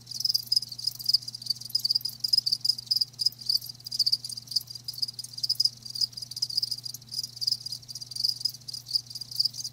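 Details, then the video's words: Natural-sound ASMR of live crickets, their shrill chirps pulsing rapidly and evenly throughout in a steady high trill above a soft low-pitched hum. "Live Crickets 60min "Natural Sound" ASMR"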